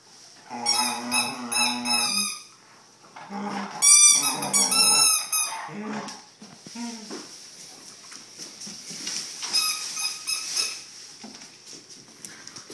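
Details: A 6-month-old Vizsla howls, "singing" in wavering, whiny notes that rise into high, squeaky yelps.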